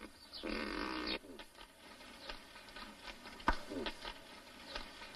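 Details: Nutria during mating, giving one loud, harsh, harmonic cry of under a second, then quieter scattered clicks and rustling.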